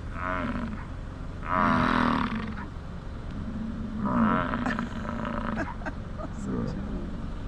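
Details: An elk in Yellowstone National Park bugles twice in autumn, a high, strained, whistling cry over a lower grunting rumble.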